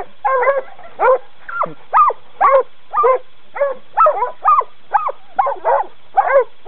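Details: Coonhounds in training barking steadily, about two harmonic, mid-pitched barks a second, each short and evenly spaced with brief quiet gaps between.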